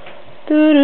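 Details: Blizzard, an 11-month-old white Siberian Husky kept as a vocal indoor pet, arguing with his owner: a short steady harmonic woo sound after a quiet lead-in, with a person calling his name.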